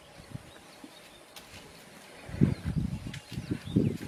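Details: Elephant mother with her infant: quiet start, then a run of deep, throbbing grunts in the last two seconds, each burst a little uneven. Faint birdsong sits in the background.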